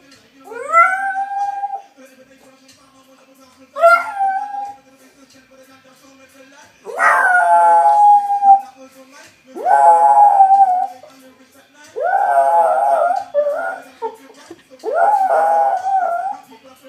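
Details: A Boston Terrier sings along to a favourite ragga song, howling in drawn-out, wavering notes that swoop up and then hold.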